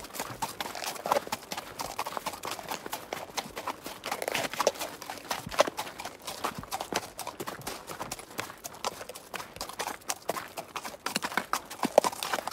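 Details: Wild grazing horse trotting, giving a busy patter of sharp hoof taps and crunching footfalls, slightly louder near the fourth and twelfth seconds, over quiet outdoor ambience.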